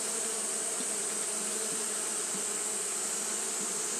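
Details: On a hot day, Japanese honey bees fan without pause, making an unbroken low drone with faint wavering pulses, backed by a continuous sharp high hiss.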